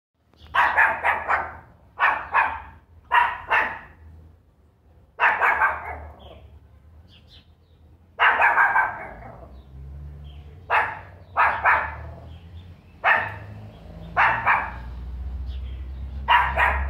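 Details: Angry pinscher dog barking, a series of sharp broadband barks in short bursts of two or three, with pauses between, over a low steady hum in the background.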